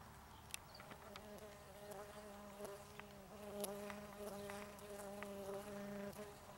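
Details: Green sweat bee hunting on flowers in Tonopah, Arizona, March–April 2015, filmed on a Sony HandyCam: a steady, low droning buzz with rich overtones swells and fades for several seconds, with scattered faint ticks and clicks behind it.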